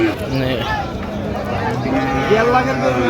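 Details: Cows with calves at Raniganj cattle market (hat), Dinajpur, on 27 November 2025: a low, drawn-out moo with steady harmonics rises behind busy market chatter and haggling voices.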